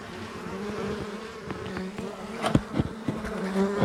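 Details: Honey bees in a wild hive being cut out from the walls of a house built in 1850, where they had lived for two years; a low steady droning hum with scattered knocks and clatter from the removal work.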